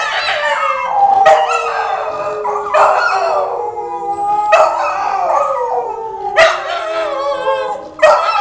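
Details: Two Petit Basset Griffon Vendéen dogs howling together, long drawn-out tonal howls that slide slowly downward, overlapping and restarting with sharp onsets roughly every one and a half to two seconds.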